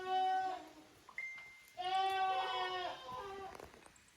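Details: Goat kids from Koharu's and Okayu's litters at play in two teams on a handmade goat farm's exercise yard in Japan, 13 June 2023. Loud, rich nasal bleats, one short and one long and sustained, with a brief thin squeak between.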